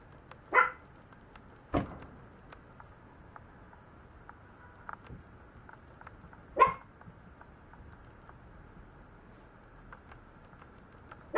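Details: Maltese puppy giving sparse single barks spaced several seconds apart, sharp and mid-pitched, in a quiet small room with a low steady hum underneath.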